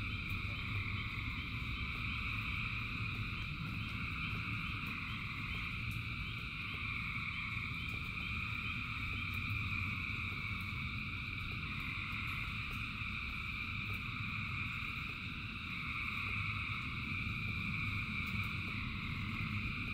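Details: Thousands of frogs singing in rain, a dense layered chorus with quick pulsed trains of notes standing out early on, over heavy low rainfall noise.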